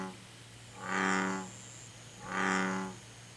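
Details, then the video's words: Two loud, booming croaks from an American bullfrog in Korea, each about 0.7 seconds, rich in overtones, spaced about 1.4 seconds apart over a low constant hum. "Rana catesbeiana Calling_video (황소개구리의 울음소리_영상)"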